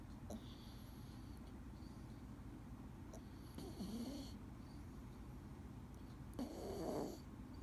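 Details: Male Scottish Fold named Dee sleeping and snoring: three breathy snore cycles over nearly eight seconds, faint at first, then louder rasping breaths around the middle and end, with a low hum in the quiet room.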